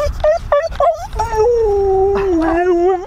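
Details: Siberian Husky howling during a mushing outing, several short yelps near the start, then a long sustained howl that slides slowly downward before rising at the end, a man's voice briefly heard.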